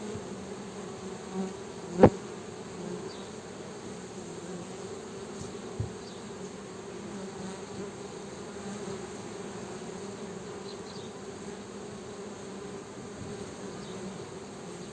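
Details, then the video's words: Honey bees producing a steady, droning hum that holds the same low pitch with a fainter overtone for the whole stretch. A sharp click comes early on and a softer tap follows later. "Honey Bees Buzzing"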